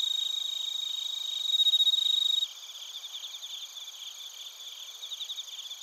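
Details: Crickets, bell crickets among them, recorded in Narita, Chiba Prefecture, Japan, on a TASCAM Portacapture X8: a loud, close, high ringing chirp for about two seconds, then a softer dense chorus of rapid pulsed trills from many insects.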